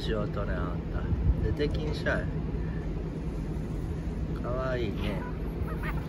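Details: Members of a stray cat family sharing lunch outside with a grandmother give several meows, including one long, bowed, drawn-out cry near the end, mixed with people talking and a constant low background hum.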